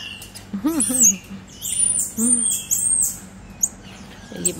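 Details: A one-year-old black-capped squirrel monkey gives drawn-out, very high whistled notes in a short series. Lower, wavering, arched tones and a soft rustle sound nearby.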